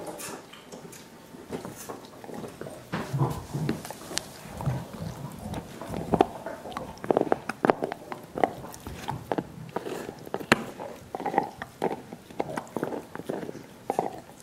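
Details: Several dogs chewing soup bones for dental hygiene: continuous moist slurps, squelches and scattered crisp bone clicks, busiest in the middle and final seconds, in a small indoor room.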